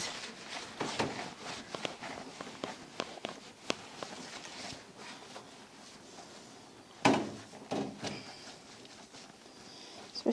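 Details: Grooming-room clatter of footsteps, knocks and a door thud, with no animal sound heard.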